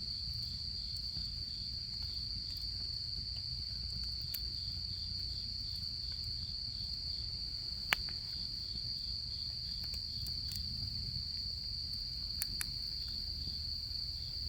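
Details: Chorus of autumn insects by a campfire during the autumn camping season, a continuous shrill trill holding one high pitch, broken only by scattered crackles and a few sharp pops from the burning wood.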